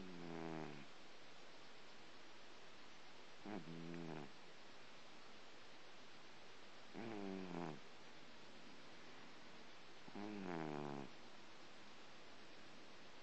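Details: A domestic tomcat dozing after breakfast gives four slow, buzzy snores, roughly one every three seconds, each a short low harmonic rasp rising slightly in tone, with soft room hiss between breaths.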